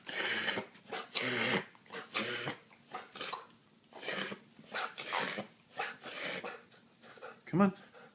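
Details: Female dog reverse sneezing: a run of harsh, snorting inhalations in bursts about once a second, while a person speaks encouragingly nearby.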